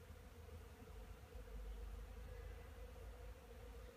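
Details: Honey bees working on pollen beside a wooden hive at an apiary, 10 March 2015, around nine in the morning at 12 degrees. A continuous droning buzz holds a steady mid-pitched tone and swells slightly in the middle.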